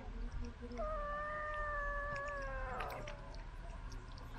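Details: While eating from a remote-controlled car, a pet cat lets out a single long, level meow lasting about two seconds that ends in a short rough burst, over a low rumbling background.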